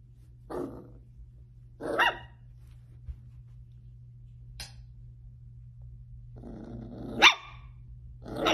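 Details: Playful Dachshund puppies giving short, sharp barks at uneven intervals, about five in under nine seconds, with a growly stretch just before a loud yap, over a steady low hum.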